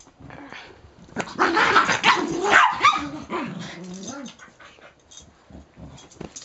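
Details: A small dog freaking out, giving a burst of harsh, rapid barks and growly yelps over about three seconds, then quieter whimpering noises as it settles; a person speaks briefly afterwards.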